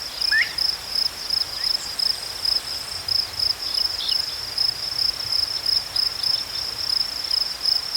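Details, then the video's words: Chirping crickets in a natural setting: a shrill, high-pitched pulsing that repeats evenly about three times a second throughout, with a few faint, brief chirps from other callers underneath. "Crickets chirping sounds"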